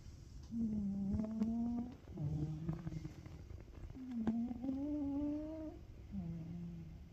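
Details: Ragamuffin cat snoring in its sleep, alternating a hummed rising breath with a lower, flatter buzzy one, about two cycles in seven seconds, with soft clicks in the background.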